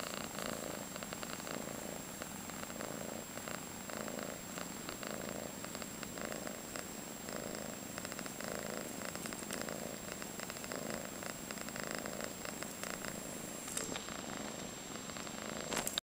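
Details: A 5-month-old calico girl cat fostered in San Carlos, CA, purring in rhythmic rumbling pulses roughly every second, partly blurred by rustling and handling noise, with a brief scrape near the end.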